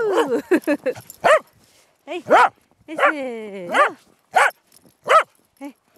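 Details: Corgi playing in the snow, giving a quick run of short, arched, yelping barks in bursts, with brief pauses between groups.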